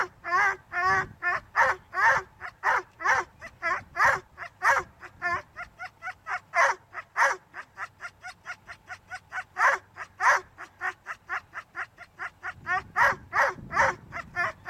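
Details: Whippets lure coursing keep up a steady run of shrill, ringing yelps, each with bright overtones. The calls come in quick succession and speed into a tighter burst of barks near the middle.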